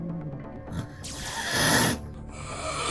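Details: Two domestic cats at night in an elderly woman's home: one meets the other's approach with a low threat while the other does not react. A breathy, noisy hiss lasts about a second, with background music.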